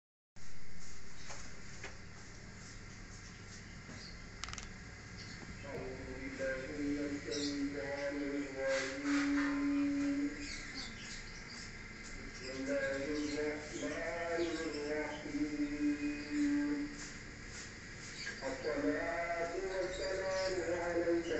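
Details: Siamese cat; fighting yowls; aggression during a fight between cats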